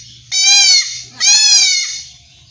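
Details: Goat kid undergoing castration in rural Bangladesh gives two long, harsh, wavering bleats in quick succession, each nearly a second long and very loud. A quiet low hum is heard beneath them.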